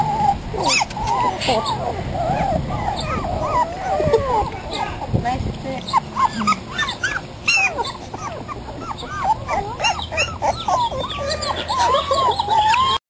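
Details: Litter of five 3.5-week-old puppies, born June 11, 2007, to a terrier mother and an Australian Shepherd sire, outdoors for the first time; many overlapping squeaky whines and yips form a busy chorus, with human voices mixed in.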